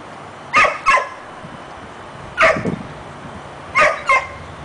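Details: Harlee the dog, too timid to grab another dog's bone, barks in three bursts of doubled yaps, each pair sharp and fairly high, spaced about one and a half seconds apart.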